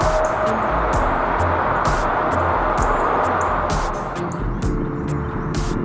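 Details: Steady background music with low sustained tones and short noisy bursts, and no animal voice.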